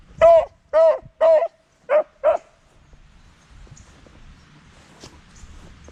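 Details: Beagle howling: five loud drawn-out harmonic howls in quick succession over about two and a half seconds, then near silence with faint room noise.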